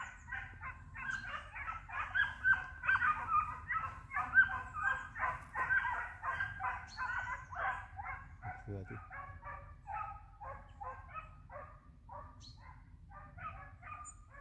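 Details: Trio of hunting hounds flushing a hare, hunting it in sight; rapid, repeated yelping barks, about two per second, in a dense chorus that thins out and fades toward the end, with a brief human shout midway.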